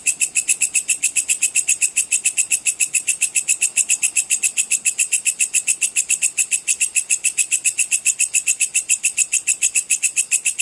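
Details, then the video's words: Sword grasshopper (belalang pedang) calling, used as a master sound for training competition songbirds; a steady, rapid high-pitched pulsed chirring repeated about three to four times per second, bright and metallic, with no other sounds. "suara belalang pedang cicir full untuk masteran semua burung lomba"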